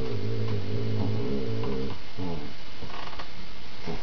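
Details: Rhade, a critically ill dog, playing indoors with his little companion Rommy and letting her regain her grip: a deep, rumbling harmonic growl held for nearly two seconds, then a shorter growl, followed by faint rustles and scuffling.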